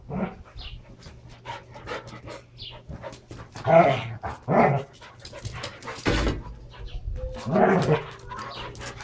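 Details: Brizz and Copper, a pair of Standard Poodles, go all out wrestling in play with their toys. Rough growls and snarls burst out repeatedly between rustling and thumps of movement.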